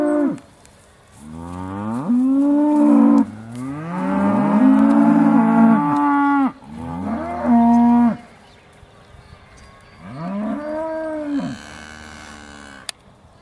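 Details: Aussie Red dairy cows at Beaulands waiting to be milked, December 2012, giving repeated drawn-out moos that overlap one another, rising then dipping at the end, with a brief quieter pause midway.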